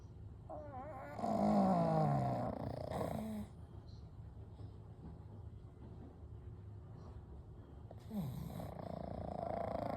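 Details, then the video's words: Three pugs, Kou, Gen and Shun, sleeping peacefully side by side; one drawn-out raspy snore with descending whistled tone, then quiet breathing and a second softer snore near the end. "A Night with Sleeping Pugs - Gentle Snoring & Breathing"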